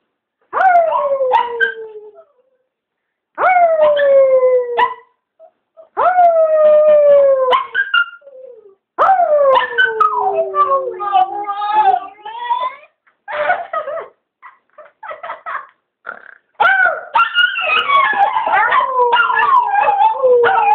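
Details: Chewy the Chihuahua, worked up into howling by his owner, howls in high, wavering bursts that slide downward and sound as if he is in great pain, with music and a voice near the end.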